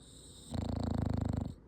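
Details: Dog snoring, heard as one rough, rattling, low-pitched snore about a second long, made of rapid regular pulses, in a quiet indoor setting.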